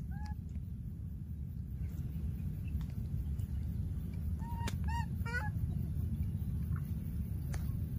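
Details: Baby monkey in the wild calling after losing its playmate: an early squeal, then a quick cluster of bent, harmonic-rich cries near the fifth second, set against constant deep background rumble.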